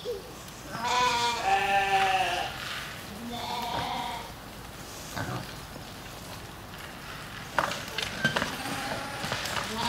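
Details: An African pygmy goat in a petting-zoo enclosure gives wavering, nasal bleats, with a second shorter bleat and clattering afterward, during enrichment with a food ball it pushes with its head to release feed.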